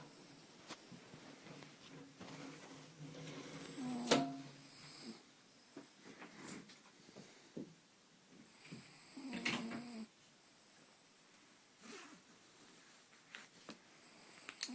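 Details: Dog asleep and snoring in uneven bursts, with a loud snorting breath near four seconds, another around nine, and soft breathing noises between.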